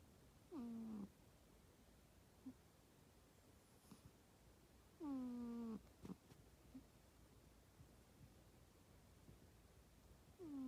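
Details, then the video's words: Pet cat asleep under the bedding beside its napping owner, snoring loudly: whistled, falling nasal tones with faint harmonics, each about half a second long, repeating roughly every four to five seconds over quiet room hiss. "猫の本気のいびきSerious snoring of cats"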